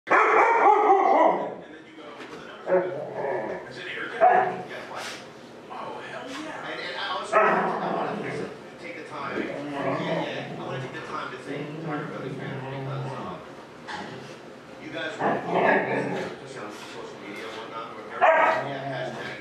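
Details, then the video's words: Huskies left home alone in a former house while their owners run errands, one of them Gertie at one year old: irregular bursts of harmonic whining howls, yips and barks, strongest at the start and near the end, with room echo. "Huskies Home Alone"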